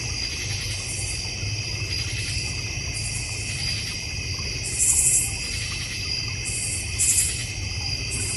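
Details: Many crickets sing together in a North Georgia Mountains backyard, a constant high-pitched shimmering trill with two louder bursts near the end and a low rumbling background.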